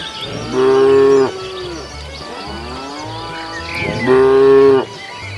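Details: Two loud, even moos from cows walking leisurely along a road hunting for food, roughly three seconds apart, with a softer wavering low between them and steady low-pitched background hum.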